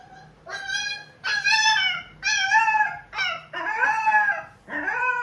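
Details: Puppy taken home from the roadside, crying again at night indoors after sleeping briefly in a tray; six drawn-out, wavering, high-pitched whining howls separated by short pauses, with a quiet room behind.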